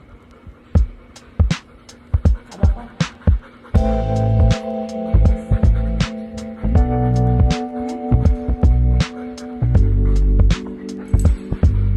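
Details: Hip hop track with sharp drum hits and a sustained bass-heavy synth line, and no animal sounds.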